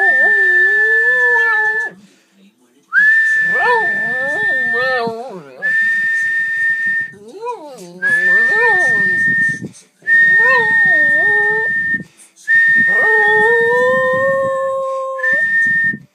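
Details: Pet dog howling, a newly learned skill tried for the first time, singing along with a steady high whistle tone; wavering, rising and falling howls in repeated bouts of about two seconds, separated by short pauses.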